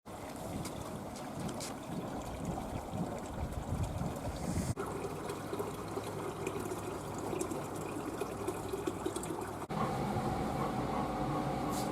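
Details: Steady trickling and splashing water fills the recording, with no clear animal voice.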